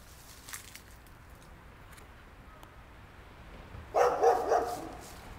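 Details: After several seconds of near quiet with faint clicks, a neighbour's dog breaks in with a short cluster of loud barks near the end.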